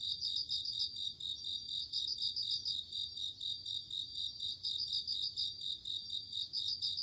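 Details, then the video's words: Autumn night insects, crickets calling together in a dense, ringing high-pitched chorus, with quick trilled bursts of chirps standing out every couple of seconds over a continuous buzz. "鈴虫 夜の虫 虫が鳴く夜の雰囲気 コオロギ 秋"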